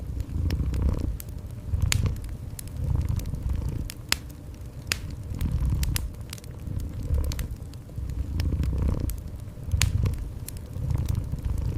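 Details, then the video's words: Gentle purring from a cat, deep throbbing rumble rising and falling roughly every two seconds, mixed with a crackling fireplace whose snapping pops sound throughout. "Cozy Fireplace with Gentle Cat Purring"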